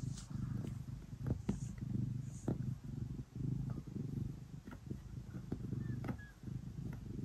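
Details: Cat kneading before bedtime, giving a loud low purr that swells and fades with breathing, accompanied by scratchy taps and soft rustles of claws on bedding.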